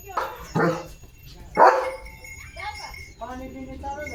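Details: German Shepherd named Leo at morning play: two close barks and a louder third, followed by softer harmonic voiced sounds, possibly human speech, in the background.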